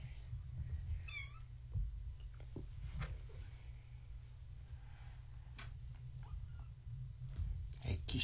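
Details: Young kittens of Gaia, a fluffy tabby mother, playing at bedtime indoors, cream kitten Maa trying to climb a fence; one bright quavering mew near the start, then a woman's talk, rustling and a constant low hum.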